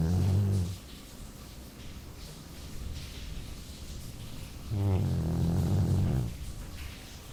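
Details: Sleeping Labrador named Jully snoring, low buzzy rumbles at the start and again near five seconds, each lasting over a second, with quiet breathing between.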